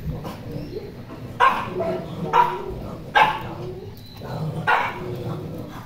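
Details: Poodle barking indoors: four sharp, bright barks spaced about one second apart, with a faint low background hum and quiet room noise between them.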